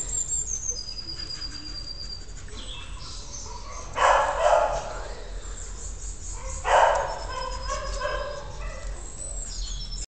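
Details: A 10-week-old Alaskan Malamute puppy gives two short, husky yelps a few seconds apart, with faint birdsong behind.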